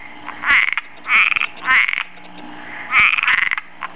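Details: Cuban tree frog calling for a mate in a backyard, giving raspy, snoring croaks in bursts of about half a second, several in quick succession with short gaps, some broken into rapid clicking pulses.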